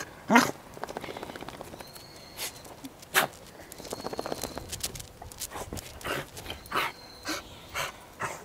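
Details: Goro, a Welsh Corgi recorded on 19 January 2013, gives a couple of sharp, loud barks, then a run of softer, shorter yaps spaced under a second apart, with faint clicks and rustling in between.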